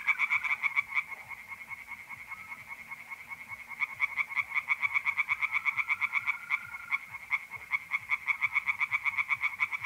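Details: Singing tree frogs at a pond on an April night in north-east Italy, bursts of fast clicking croaks with a short lull, accompanied by the even trill of mole crickets.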